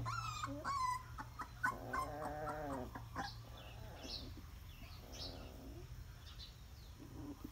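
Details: Puppies at feeding time, giving high thin whines and short squeaky yips in the first three seconds, followed by softer snuffling and mouth noises over a steady low hum.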